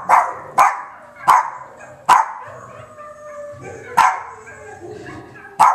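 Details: Boston Terrier barking, sharp single barks repeated roughly every second, six in all, with faint background music between them.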